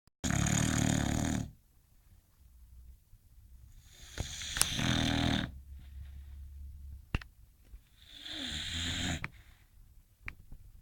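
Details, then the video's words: English Bulldog snoring while asleep and dreaming: a loud, rasping snore at the start, then two quieter rough breaths about four seconds apart, with a few faint clicks between. "English Bulldog snoring and dreaming"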